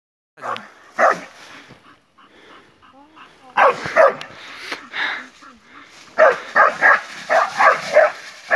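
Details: A Bull Terrier attacking a wild boar gives bursts of harsh, rapid barks, with people talking in the background.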